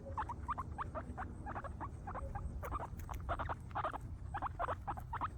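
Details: Guinea pigs eating grass, a group of happy animals, utter clustered short squeaky notes in quick bursts, some doubled, against a low steady hum.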